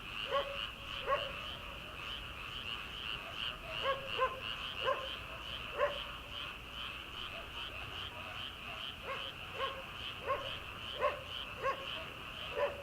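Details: Frogs calling from rice paddies on an early-summer night before rice transplanting: a dense, steady chorus of rapid pulsed trills, with sharp barks from a distant farmhouse dog breaking through repeatedly.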